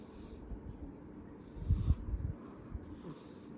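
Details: Lexy, a pet cat, breathing: soft snorting, wheezy low-pitched breaths rising to a louder rasping burst midway, with faint hissy high bands of airflow between breaths.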